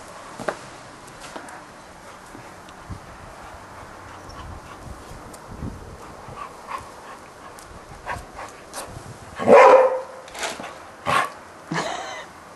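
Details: A Golden Retriever barking at a Spiderman toy lets out a handful of loud, gruff barks after a long quiet stretch.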